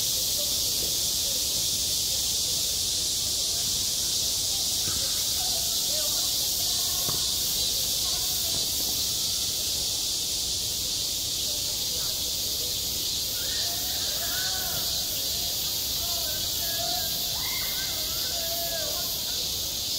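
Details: Midsummer cicada chorus at a school playground, self-recorded: a continuous shrill hiss-like drone without pause, with faint distant voices murmuring underneath.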